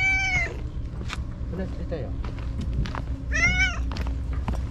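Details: Shiro, a stray white cat living among the tetrapods, meows energetically after vanishing for a whole day. Two bright, drawn-out meows, one at the start and one near the end. A person talks in between, with low background rumble.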